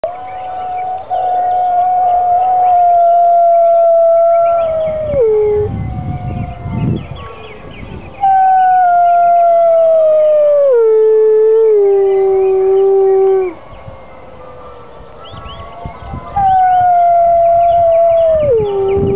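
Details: Grey wolves at a UK wolf conservation trust give long, sustained howls that hold steady and then drop in pitch, answering church bells ringing on a Sunday morning.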